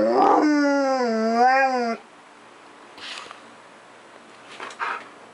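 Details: Siberian Husky, nearly ten years old, excited and spazzing out at home around 10:53 in the morning in July 2018: a loud wavering howl that dips and rises for about two seconds, followed by faint short whines.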